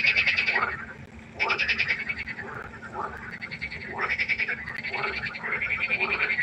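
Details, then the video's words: Frogs croaking at night beside a pond, harsh rattling pulses repeated in quick bursts roughly every second, with a brief lull before the chorus swells again. "1 Stunde Froschkonzert. Frosch Geräusche quaken"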